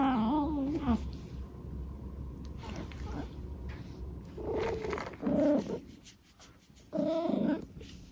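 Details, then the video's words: Eric, a pet cat, makes a string of cute chirrupy mrrp noises: a wobbling trill at the start, then two short, bright, rising-falling calls later, set against soft indoor rustling and a low background hum. "Eric makes cute noises"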